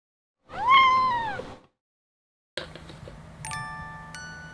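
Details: Domestic cat lying down beside a sleeping baby indoors: one drawn-out, clear meow that rises slightly then falls, about a second long, followed after a pause by soft chiming music tones and a low hum.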